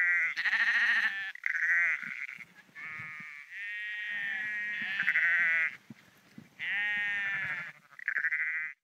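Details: Sheep bleating while walking the dike at Porrenkoogdeich near Husum, Nordfriesland: a dense run of drawn-out, trembling bleats from several animals, one after another with hardly a pause.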